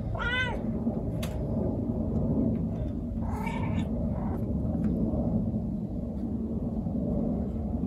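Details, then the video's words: Young female white calico cat in heat, calling to attract a male; one short rising-falling meow opens, followed by fainter scattered cries and knocks over a steady low rumble of background noise. "猫が反応する鳴き声｜発情期のメス猫 |オス猫を探す鳴き声"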